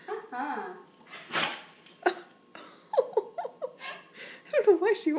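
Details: Female German Shorthaired Pointer 'talking' and seemingly saying 'please' while asking for something: a wavering, whiny moan that bends up and down, then a run of short rising yelps and squeaks, with a person's voice and a brief breathy burst.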